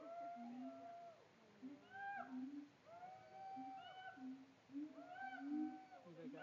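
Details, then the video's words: Siamangs at a Tampa zoo produce steady low hoots overlaid with long, curving, rising-and-falling wails that arc upward and fade, repeating in loose waves across the recording. "Siamangs at Tampa Zoo"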